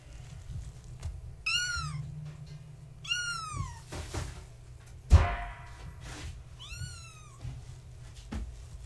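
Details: Kittens of the floofy tabby Gaia, born March 14, 2017, playing at bedtime indoors: four clear high kitten mews, each bending downward, spread across the recording, with a loud knock near the middle.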